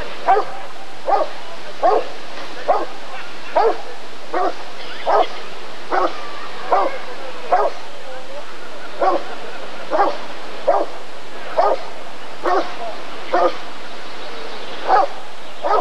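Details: Rottweiler barking at a 1994 ADRK Körung breed survey: a long, fairly steady run of short, punchy barks, over twenty in sixteen seconds, with voices murmuring in the background.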